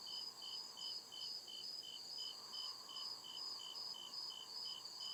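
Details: Crickets calling at night in deep forest, rapid repeated high chirps pulsing evenly around two and a half times per second against a constant shrill hum.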